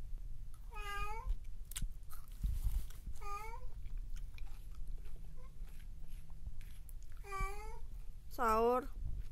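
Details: Cats Mokles and his mate Sapi meeting indoors; four clear drawn-out meows, two early and two near the end, the last loudest and sliding upward, with a quiet voice and soft handling noises between.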